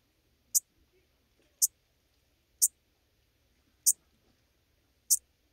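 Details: Schmidt's marbled bush-cricket recorded in Venezia, Italy, on 2 September 2021: five crisp, very high clicking chirps at roughly one-second intervals, with near silence between them.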